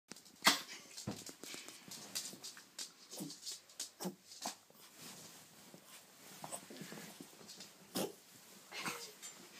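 A Yorkshire Terrier gives short, harsh, breathy coughs in an irregular series indoors.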